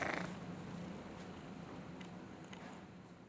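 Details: After being woken from a snore, a cat keeps up a soft, even, low purr that fades slightly, with a short breathy rustle at the very beginning.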